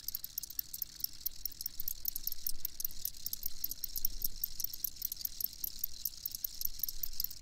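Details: Crickets chirping in a long recording meant for listening during sleep: a dense, steady, high-pitched pulsing trill of many rapid chirps over a soft low rumble, with no other animals standing out.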